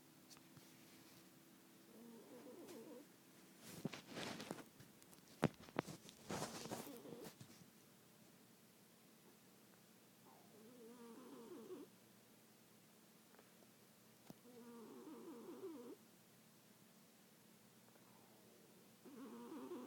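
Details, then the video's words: A sleeping cat snores indoors, soft harmonic rasping breaths roughly every four to five seconds, interrupted early by a burst of loud broadband rustling and knocks. "Snoring cat"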